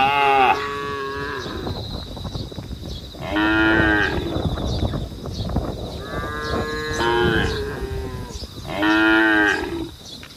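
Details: Cattle calling the herd on a road, several moos overlapping and following one another, some deep and others higher and wavering, with little other sound.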